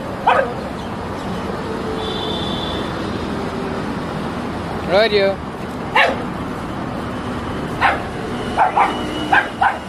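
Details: Shih Tzu facing a stray dog in a street fight in India: sharp isolated barks and yips at irregular intervals, a brief rising whine, steady traffic hum and a distant tone behind.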